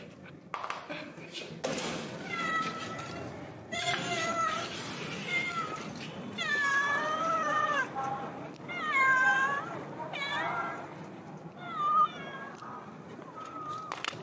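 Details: Big yellow cat waiting outside the door, as it does every day when someone comes downstairs. It gives repeated drawn-out meows, some rising and falling, every couple of seconds, with a person talking throughout.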